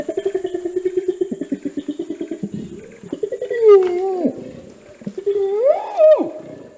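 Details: Orangutan long call, a booming rainforest call said to carry over a kilometer and signal that territory is taken: a rapid train of low pulses, then drawn-out rising and falling moaning tones with a faint steady hiss behind.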